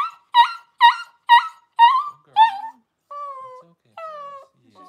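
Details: Cavalier King Charles Spaniel newborn, among the first puppies whelped by Paris indoors at home, giving five quick high yelping cries about half a second apart, then settling into longer, level whining notes with small pauses between.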